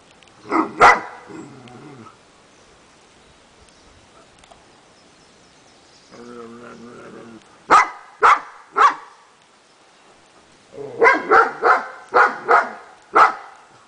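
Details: Kurdish Kangal dog, 15 months old, barking loudly and deeply. A single bark opens, then after a pause come three spaced barks and a quick burst of about six more. There are low vocal sounds between the barks.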